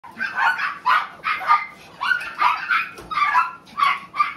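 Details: Male Tiny Poodle giving quick, high, yappy barks, about nine in under five seconds, each bark short and bright, with a quiet room behind.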